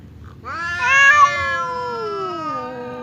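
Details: Confrontation between domestic cats Temon and Lelo, separated by a barrier and seemingly ready to fight; a single strident yowl swells quickly, then drags out and droops in pitch for over two seconds.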